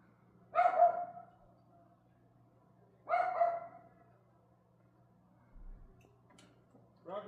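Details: Two loud, harsh dog barks about two and a half seconds apart, then a third beginning at the very end, recorded May 18 at 6:44 pm against near silence.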